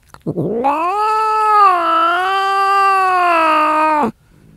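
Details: One angry cat holding a single long, steady yowl of about three and a half seconds, starting with a rough low scoop, then a sustained rich harmonic wail that drops off sharply.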